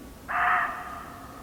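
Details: Muntjac deer barking in an English nature garden: one loud, harsh, hoarse bark that starts abruptly and trails into a fading rasp, over a quiet garden background.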